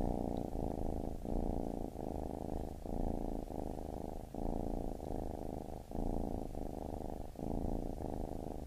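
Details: A baby kitten purrs in regular, gentle pulses, a buzzing low rumble interrupted by short pauses at each inhale, nothing else audible.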